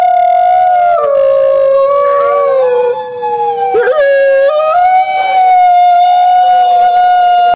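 Several gray wolves howl together, long sliding tones weaving over one another in a chorus.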